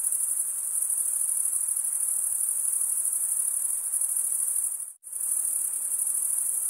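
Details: Steady high cricket trill of fast even pulses, broken by a brief silent dip near the five-second mark before resuming unchanged.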